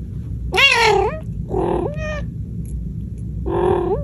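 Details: Angry cat warning people not to come near, three drawn-out, strained, rising-falling wails with rich harmonics, each close to half a second or longer, separated by short pauses, over a low rumbling background.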